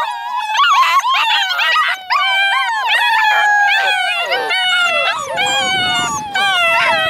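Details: Chorus of Alaskan Malamute puppies, eight in the litter, born February 2013: loud, sustained overlapping howls, slowly falling and wavering in pitch, rich harmonics, with short breaks between voices.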